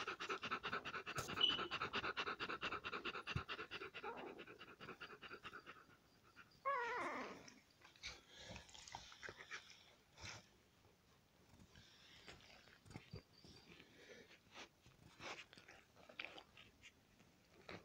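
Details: Five-day-old Alaskan Malamute puppies give rapid, breathy squeaks and soft whimpers in a quiet room.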